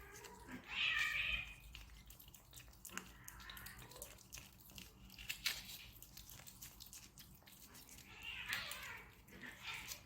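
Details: Stray desert cat in Abu Dhabi at a treat party, with a loud, bright meow near the start and a fainter one near the end, separated by scattered clicks and rustling.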